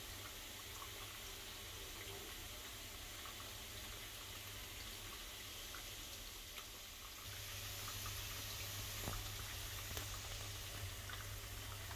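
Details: Steady running water from an indoor waterfall and rain system fills the room, with scattered drips and no animal calls.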